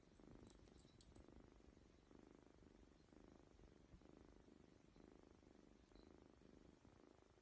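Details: Kitten or cat giving a soft continuous purr, rumbling pulses repeating about every second, with faint high ticking sounds at the start.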